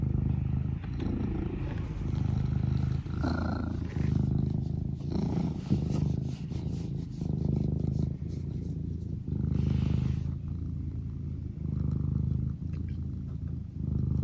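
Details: Eric the house cat purring continuously, a deep rhythmic rumble pulsing with each breath in and out, with soft rustles and small shifts indoors throughout.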